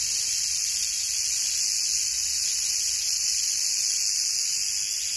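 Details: Canebrake rattlesnake (timber rattlesnake) found on a dirt road in North America at the end of the herping season, rattling in a steady, unbroken high hiss-like buzz for the whole stretch with no other clear sounds.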